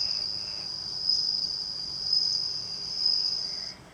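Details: Bell cricket, a captive male raised from a newly hatched nymph, kept by a house entrance in Japan in summer; clear high ringing trill in long sustained bursts about once a second, steady and bell-like.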